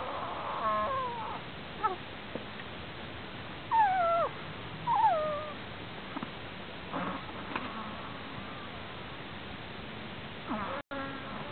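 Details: Strange snoring from a sleeping prairie dog: short, high squeaks that slide downward, spaced irregularly every second or two, some louder and some faint, against a quiet background hiss.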